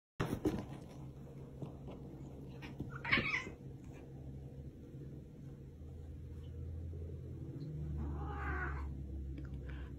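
A Maine Coon kitten gives two short, strained meows over a low steady hum.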